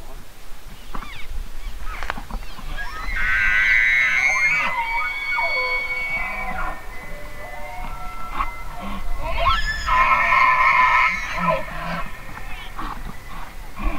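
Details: Elk bugling: a long, shrill whistle slides up and holds steady for several seconds with rich overtones, then a second piercing, wavering bugle follows after a pause, against soft background rumble.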